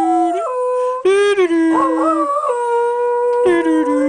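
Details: Little Jack Russell Terrier called Thunder, a family pet, howling and talking with continuous tonal howls that step between low and higher pitches, wobbling in the middle before settling into a steady drawn-out note.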